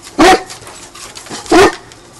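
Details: Indoor dog bark from a household with an English mastiff and a Basset hound. The dog is learning guard duties while a person urges it with "Who's there?" Two loud, deep, single barks about 1.3 seconds apart, with quiet room noise between.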